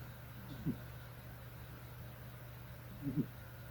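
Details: A snoring cat; two soft, low snores about two and a half seconds apart, each a short nasal rasp, over a steady low hum indoors.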